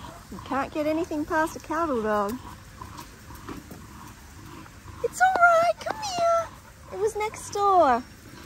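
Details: Linc, a baby Australian cattle dog, plays with big puppies in a paddock: bursts of high, wavering whines and yelps with rising and falling pitch, in two clusters separated by a quiet gap.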